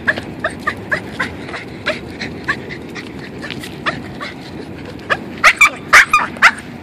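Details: Boston terrier eager on its walk, a pet dog: soft, quick whimpering yips at first, building at the end into several louder, piercing squeals in quick succession, against a low outdoor rumble.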